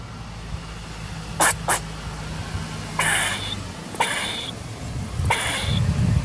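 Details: Squirrel feeding, recorded 10/10/2019: several short, harsh broadband squeaks, a quick pair near the start and then single noisy bursts about once a second, over a low background rumble.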